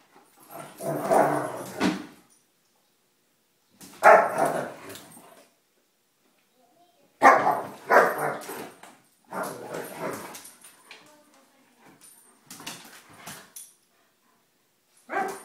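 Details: In a playful spat, three domestic German Shepherds trade harsh, noisy growl-barks: six rough bursts of one to two seconds each, separated by short silences, loud and broadband in an indoor setting.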